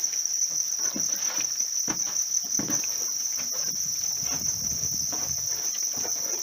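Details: Captive-reared house crickets in a farm setting, keeping up a continuous shrill, even trill, with heavier low rustling and soft thumps underneath.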